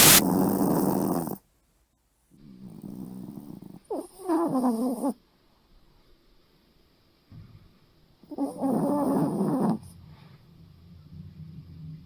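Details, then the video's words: Poodle snoring loudly in the middle of the night: three long, rasping, broadband snore bursts, each one to one and a half seconds, separated by quiet pauses, with a throaty rattling texture. "푸들의 엄청난 코골이"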